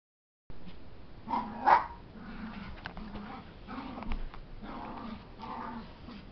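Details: Puppy wrestling playfully with a bigger dog, making funny noises: a few short, low whining yips with one louder squeal near the middle, separated by quieter gaps of scuffling.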